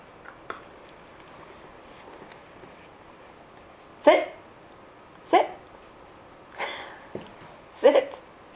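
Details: A female Staffordshire Bull Terrier puppy, nearly 10 weeks old, gives short, sharp barks spaced a second or more apart during play and sit and down training.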